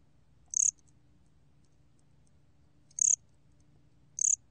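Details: A bear cricket, recorded in 2020, gives three short, very high, sharp chirps at uneven intervals, each a brief clicky burst, over near silence with a faint low rumble.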